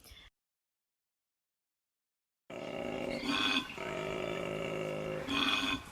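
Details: Koala mating call heard at night in the Australian bush: a loud, rasping, snoring-braying sound, droning continuously with two louder pulsing bursts, likened to a cross between a sick cow and a donkey braying.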